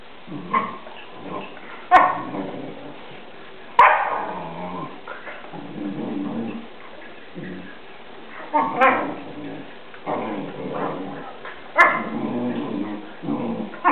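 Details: Two Newfoundland dogs play fighting, one male and one female; short rough barks and yips burst out about every two seconds between lower grumbling growls, with music playing and a person speaking.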